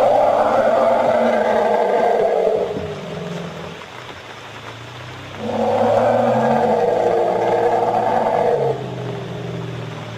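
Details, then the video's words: Asian elephant herd in Royal Belum State Park, Perak, Malaysia, harassed by a tiger in the jungle: two long, loud, droning harmonic calls, each about three seconds, separated by a quieter gap with lower tonal traces. "Sounds of elphants being harrassed by a tiger, Malaysia"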